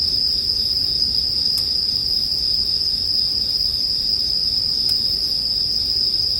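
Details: Bell crickets singing alongside a campfire for sleep listening; a steady bright high ring runs without breaks, punctuated by two sharp crackles from the burning wood.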